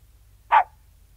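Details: King Charles Spaniel outdoors giving a single short, sharp bark, bright and mid-pitched, lasting a fraction of a second against near silence with a faint low hum.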